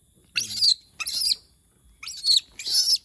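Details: Monkey said to be calling out because it misses humans: four harsh, high-pitched shrieks in quick succession, each lasting about a third of a second, with short gaps between them.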